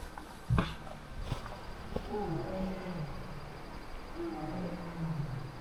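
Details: Two distant Bengal tigers (Panthera tigris tigris) call to each other at night near a jungle camp in Nepal's Babai River Valley: low, moaning contact calls that waver and slide downward.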